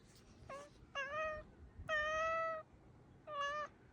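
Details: Ponzu, a black pet cat, calls eagerly toward a crow outside: four separate drawn-out, even-pitched tonal calls, each about half a second long, with rich overtones and short quiet gaps between them. The room is otherwise quiet.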